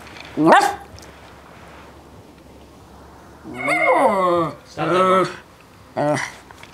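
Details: Bailey the West Highland White Terrier playing ball: a sharp single yip, a pause, then a warbling vocal outburst and two shorter barking yelps in quick succession.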